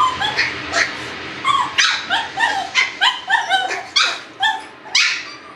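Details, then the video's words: Shiba Inu puppies yelp and whine in quick succession, a dozen or so high, pitch-bending squeals tumbling over one another, each a short harmonic cry with a slightly falling tail, over a faint steady hum. "Chiots Shiba et bruitages"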